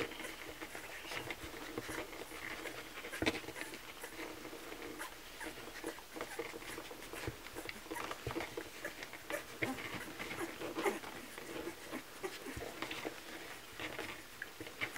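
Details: Kromfohrländer puppies at a milk feeding, indoors: a steady mass of soft wet smacking and clicking suckling noises, with faint thin squeaks rising briefly through it now and then.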